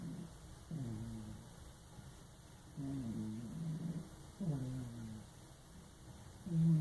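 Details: Lucky, a fat pet cat, asleep in a bathtub, snoring: low rasping breaths in regular bursts about every one and a half to two seconds, each a buzzy, slightly falling rumble, with quiet pauses between breaths.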